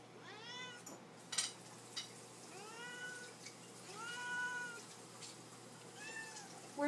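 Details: Several pet house cats, Lily and Lucy among them, meowing indoors at feeding time to ask for food. Four drawn-out arching meows are spaced about two seconds apart, with one sharp click between the first two and a faint room hum beneath.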